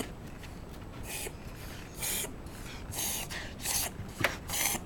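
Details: Shiba Inu named Koume having a reverse sneeze, a paroxysmal breathing episode: a series of harsh, noisy snorting gasps in bursts about once a second, indoors in a small room.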